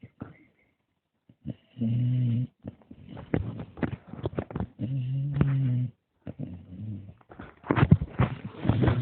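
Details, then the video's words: Dog snoring in a small room, low droning snores in regular bursts with breathy noises between, ending in rustling and handling sounds. "the snoring dog"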